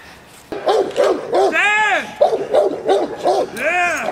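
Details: J7's Kelly, female Presa Canario from the Irema Curto line, training protection at De la Arena field, Germany: fast, deep barks in a rhythmic chain, broken by a long tonal shout rising and falling twice.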